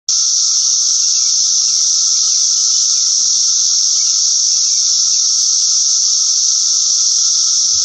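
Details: Periodical cicadas of Brood X sing in a dense, unbroken buzzing chorus that holds steady throughout.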